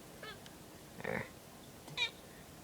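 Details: Pet cat tracking a mosquito in a ceiling corner indoors, giving a few short, soft chirping mews: a faint one early, a brief harmonic call near the middle and a sharper high chirp a second later, in a quiet room.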